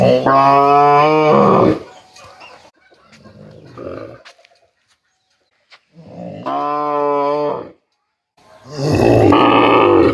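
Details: Cow mooing in repeated short, loud calls, each under two seconds with a steady, rich tone, separated by pauses with faint low sounds.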